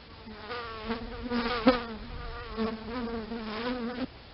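A bee's steady, droning buzz that wavers slightly in pitch as it moves around.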